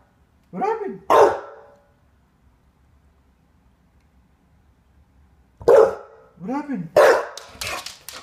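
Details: Rue, an English Bulldog asking for the door to be opened so she can pee, makes two bouts of arched, harmonic yelping calls with abrupt bark-like bursts, separated by about five seconds of quiet indoors.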